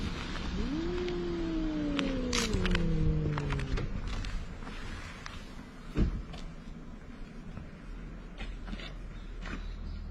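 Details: Two cats, one a big ginger, quarrel at the seaside; a single drawn-out harmonic wail rises then slowly sinks over about three seconds, followed by scattered clicks, knocks and steady background rumble.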